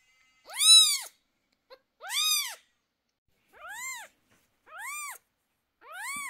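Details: Cat screaming in distress during eye treatment of two 11-day-old kittens with sore eyes. Five loud, arched meows are spaced about one to one and a half seconds apart. The later cries sound a little lower and softer.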